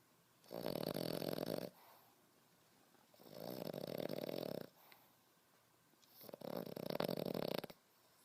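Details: French Bulldog puppy Beau, 5.5 months old, snoring like a grown man; three long, loud, gravelly snores each lasting over a second, spaced about three seconds apart, rough and vibrating.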